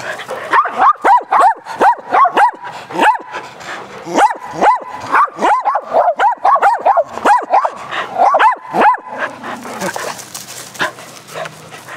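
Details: Dogs Athena, Brando, Rocko and Charlie at aggressive fetch on a spring day: fast, dense runs of barks fill the first nine seconds, then give way to a rushing, hissing noise.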